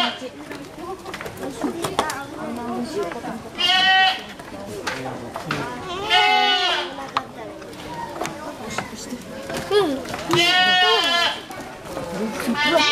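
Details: A lively young goat at a milk farm in Aso, Japan, gives three drawn-out, wavering bleats, each about a second long, amid steady chatter of people and children nearby.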